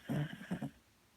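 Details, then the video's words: Manani, a Beagle, deeply asleep and snoring loudly: a brief run of low, rough snorts, one longer rasp followed by two short choppy ones, all within about a second, then quiet room tone. "Manani mi perro 🐶 roncando muy fuerte"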